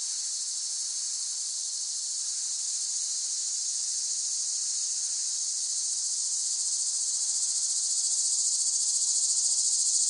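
A cicada's steady, high-pitched buzzing drone that holds without a break and swells slightly toward the end.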